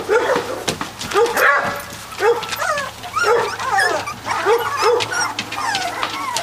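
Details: Catahoula Leopard Dog puppies, three weeks old, Dixie and Beau Duke litter: a squeaky whine recurring roughly once a second in a loose rhythm, each cry bending up then down, other pups whimpering behind.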